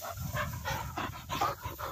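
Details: Cocker spaniel retrieving along a river bank in gundog-style work. Quick, breathy panting in rhythmic bursts, about six or seven in two seconds, over a low background rumble.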